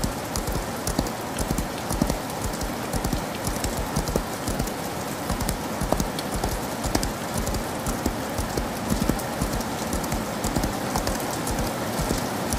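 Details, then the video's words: Hooves of a horse galloping in the rain, rapid knocking beats running throughout, softened by a loud, steady rush of rainfall. "Horse Galloping In The Rain"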